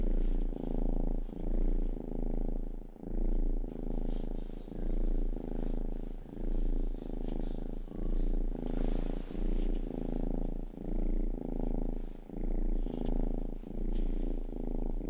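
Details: Rangi, the family's youngest cat, purring indoors while grooming ears: a rich, low rumble in even waves of inhale and exhale, roughly forty cycles a minute, dotted with light licking clicks.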